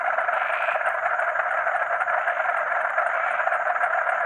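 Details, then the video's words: Frogs and crickets calling together at night. Thick, pulsing frog croaking fills the middle range without pause, and a fine, shrill cricket trill sits high above it. "Frog and Cricket Sound"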